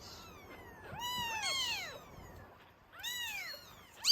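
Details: Hungry Norwegian Forest Cat kittens clamouring for milk indoors at a cattery; two bursts of shrill, bowed mews, the first a cluster of overlapping voices, the second a single high cry after a pause.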